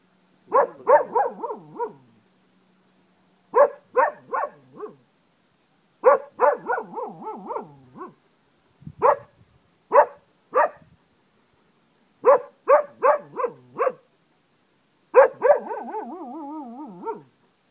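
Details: Pet Cocker Spaniel in Ajloun, Jordan, doing its wolf-like howl: clusters of three to four short, yelping barks repeated every couple of seconds, ending in a longer wavering howl.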